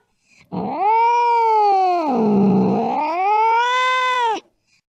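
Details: Cat yowling while chasing a mouse in the late night; a single long nasal wail rises, sags in the middle, then swells again before cutting off, with a quiet background.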